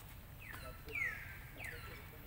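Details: Baby monkey Lucie crying loudly at her mother after being refused milk; three high squealed cries, each sliding downward and trailing off, the middle one loudest, over faint background hiss.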